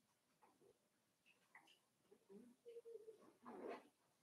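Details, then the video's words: Puppies of the Cavalier King Charles Spaniel breed, five weeks old, in their indoor pen; a brief steady whimper is followed by a louder, rougher whining yelp near the end, over a hissy background. "Cavalier King Charles Spaniel Puppies Livestream"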